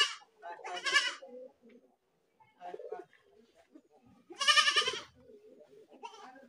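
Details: Goat screaming, two loud harsh bleats about three seconds apart, each wavering and buzzy with a nasal tone, with softer shorter bleats and quiet murmuring in between.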